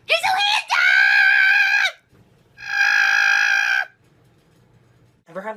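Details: Cat yowling when someone steps into the bathroom: two long, loud, steady wails of over a second each, flat in pitch and rich in overtones, after a brief harsh cry, with a short voice at the end.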